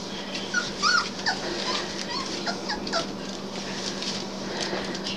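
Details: Three-week-old Basset Hound puppies just starting to walk, giving thin, high whimpering squeals that rise and fall in short bursts, scattered through a quiet indoor room with a steady low hum.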